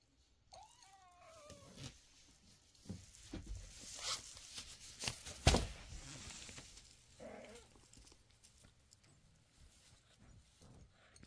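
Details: Kittens learning from their mother to use the toilet and eat dry food indoors; a clear meow falls in pitch near the start, a shorter one follows around seven seconds, amid rustling, clicks and light tapping in a small room.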